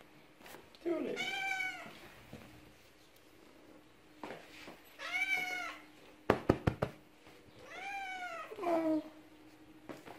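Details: Tulip the male cat welcomes back his human, absent for three days, indoors: three long harmonic meows, each bending up then down, spaced about three seconds apart, with a burst of knocking between and soft speech.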